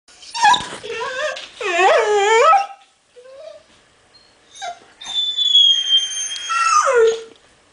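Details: Eleven-month-old female pit bull whining for attention indoors: a string of high, quavering whines and yelps that slide up and down, a short pause, then long, thin squeaky whines ending in a falling whimper.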